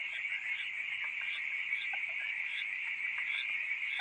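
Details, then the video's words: Frogs making a loud noise during the night, their high trilling calls blending into an unbroken, even chorus that ends abruptly. "FROGS making a loud noise during the Night"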